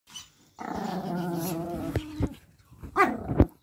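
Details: Pomeranian puppies and dogs playing together on a bed indoors; a sustained low rumbling growl with steady harmonics lasting about a second and a half, followed by short sharper yips and snarls near the end.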